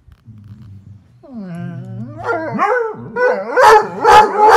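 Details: Hound, among coonhounds, bloodhounds and bird dogs, giving a low drawn-out howl that rises and wavers, building into loud repeated baying notes about once every half second near the end.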